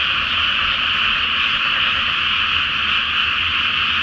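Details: Chorus of many frogs at night in a water-filled paddy awaiting planting, under the full Flower Moon: countless overlapping croaks merge into one steady, shimmering roar, with a soft low rumble in the background.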